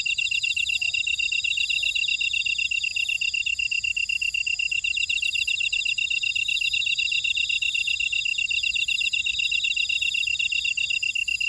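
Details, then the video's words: Buckwheat field insect chorus from Ora-dong on Jeju Island, South Korea: continuous shrill trilling from many grass insects at several pitches, pulsing evenly about four times a second, with faint soft ticks recurring beneath. "제주 메밀밭의 풀벌레 소리 (Sound of a buckwheat field)"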